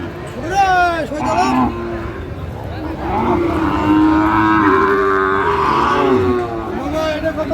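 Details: Sahiwal bull at a cattle market in Natore, Bangladesh, in February 2025, as a farmer shops for one: a long, drawn-out low moo lasting about three seconds, over busy crowd voices, price bargaining and background music.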